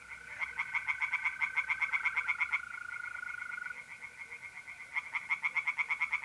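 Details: Pond tree frogs chorusing at night in mid-April, north-east Italy, giving fast, evenly pulsed croaking runs that pause briefly around the middle, while mole crickets keep up a continuous level trill.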